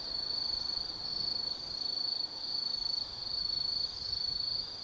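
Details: Insects singing on an autumn night in the Tsukimi no Mori woods above the Nōbi Plain, Gifu Prefecture: a shrill, sustained trill in long phrases separated by brief dips, against quiet ambient hiss.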